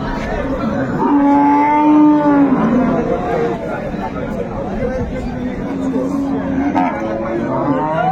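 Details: Improved-breed dairy cow sold with her female calf at Ambari market, Dinajpur, Bangladesh, on 22 April 2024, said to give 4 kg of milk; two long, low, steady moos with clear overtones, men bargaining and market chatter throughout.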